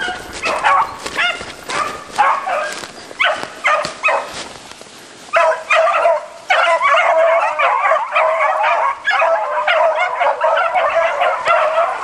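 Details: A hunting pack of beagles bays in short bursts broken by brief pauses for about five seconds. The calls then merge into a continuous, overlapping chorus of high yelping bays.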